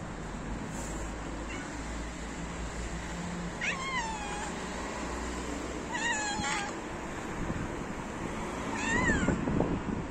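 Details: Male cats fighting each other over females: spaced, wavering yowls every couple of seconds, each sliding down in pitch, over a constant low engine-like rumble.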